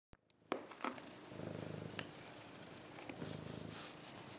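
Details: Domestic cat purring indoors after a few faint clicks and rustles; a low, rumbling, pulsing purr starts after about a second and swells in two bouts, with slight handling noise.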